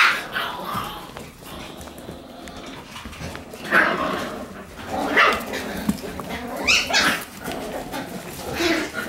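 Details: Red female Shiba Inu puppy, born December 31, small and active, making scattered short high squeaks and little yelps, several spread across the clip amid soft indoor rustling.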